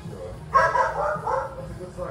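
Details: Dog barking inside a vintage shop and cafe in Brooklyn, New York, while a customer orders coffee; a few short harmonic bark bursts over a steady low hum of background music and indoor chatter.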